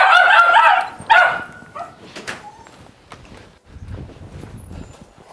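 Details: Maxine, a 1.5-year-old female Jack Russell Terrier, barks as people leave the house, where she also jumps, nips and races around. Two loud, ringing barks come in the first second, then quieter household noise follows.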